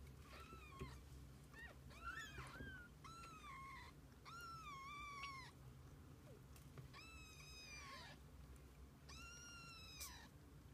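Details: Kittens with their mother cat spending the day together: a run of about seven high, harmonic mews, each rising then falling in a short arch, some drawn out, over a steady low rumbling hum.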